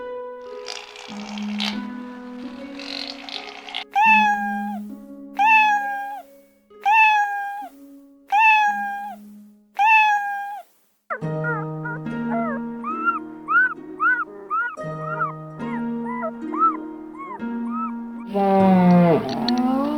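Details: Cat meowing over loud background music: a run of similar rising-then-falling meows repeats roughly every one and a half seconds, followed by quicker, shorter mewing notes and a harsher drawn-out cry at the end.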